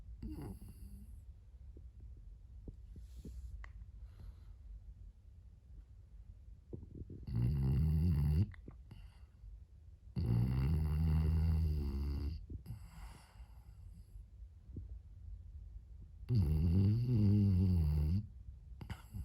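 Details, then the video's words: French Bulldog named Moto-Moto, a puppy, asleep indoors and snoring: long rattling, rumbling snores lasting one to two seconds, coming in three bursts separated by quieter steady breathing. "Snoring french bulldog."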